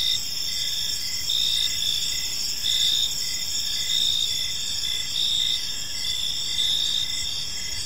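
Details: Evening cricket chorus in a quiet park: continuous high shrill trilling with louder pulsed chirps swelling about once a second, several insects overlapping, light ambient hum beneath.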